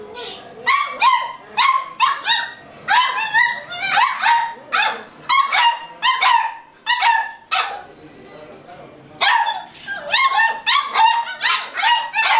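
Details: Playful Beagle puppies yapping in quick bursts of high, sharp barks, several in a row before short breaks, with a longer pause near the middle before the excited barking resumes.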